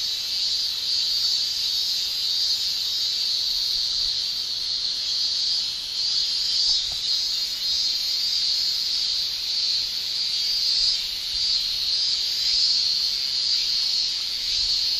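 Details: A chorus of male cicadas singing by tymbal in Japan's summer: a steady, very high electric-sounding whine with faint rhythmic pulsing, plus one brief soft click midway.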